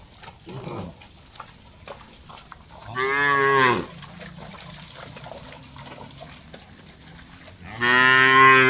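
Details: Dozens of tame cattle grazing on a broad green field answer one another with moos: two loud, harmonic-rich lowing calls of under a second each, spaced about five seconds apart, with a faint short call earlier and quiet field noise between.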